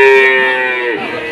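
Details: Moo of cattle at a livestock market in Jatirogo, Tuban, amid falling prices caused by foot-and-mouth disease; one steady, tonal bellow that holds level and then dips at the end, over background music.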